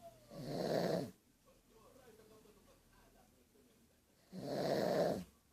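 A pug snores loudly, with two long rasping breaths about four seconds apart.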